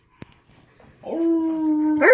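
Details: Alaskan Malamute named Tonka howling with a baby girl who mimics him; after a quiet start with a click, a smooth level howl begins and holds steadily for about a second before a higher, brighter note breaks in at the end.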